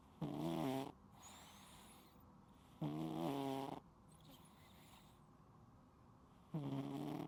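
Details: Sleeping pet cat snoring loudly indoors in an unedited recording: three voiced, tonal snores about two to three seconds apart, each a low buzzy rumble lasting under a second, with quiet breathing between.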